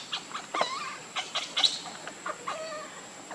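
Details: Baby monkey crying in a quick run of short harmonic squeals, some sliding downward, repeated about once a second over faint background hiss.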